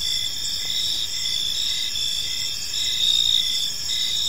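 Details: Evening cricket chorus in a peaceful park: continuous high shimmering trills from several insects, with quick regular chirps and a slight swell in loudness toward the end.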